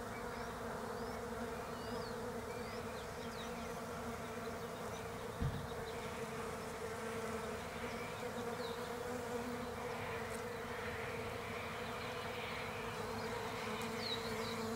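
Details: Autumn in Australia, with European honey bees drawn to Desert Ash blossoms; a sustained low buzzing hum throughout, one sharp knock near the middle, and scattered bird chirps higher up.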